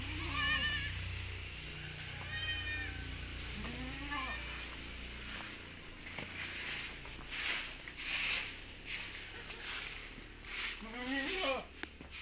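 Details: Newborn goat kids on a small village farm in Pacitan, Indonesia, where nine were born within a week; several thin wavering bleats spaced a few seconds apart, mixed with people talking and scattered noise.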